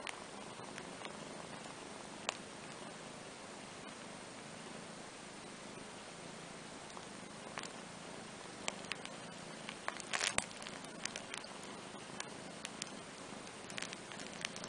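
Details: Kitten Andrew and his older half-sister Ana, a cat, relax together on a playmat. A low, steady rumbling purr runs throughout, with scattered soft clicks and rustles that cluster around the middle.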